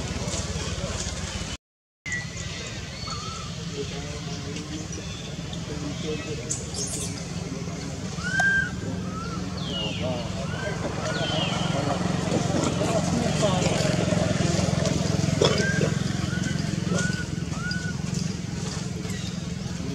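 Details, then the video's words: Jody, a young wild monkey at Angkor Wat, Cambodia, calls again and again for its mother Jane, scared on being kidnapped for the first time. Short arched whistle-like squeals repeat over steady low rumbling traffic and voices. "Pity Jody call and call mom Jane help, Jody feels scare and first time kidnapped."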